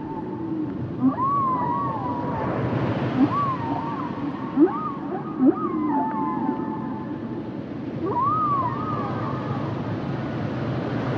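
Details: Humpback whales singing a series of wavering, whistle-like moans that rise and fall, with short low knocks in between and constant deep underwater rumble.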